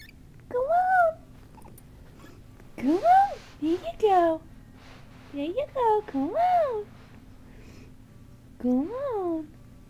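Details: Kittens with their mother in a small room give a run of about eight short, arching meows, some in quick pairs, irregularly spaced over ten seconds, with faint human voice and quiet room noise between calls.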